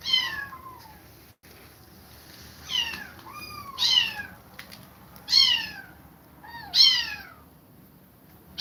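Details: Kittens forced to leave their mother after her repeated attacks mew plaintively: about five high, thin meows, each arching up then sliding down, spaced one to two seconds apart over a faint steady background hiss.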